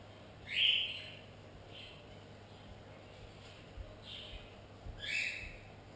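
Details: Pug cross puppies giving short, high-pitched squeaky whimpers: a louder squeal near the start, a softer one around two seconds, then two more in quick succession near the end, over a quiet background hum.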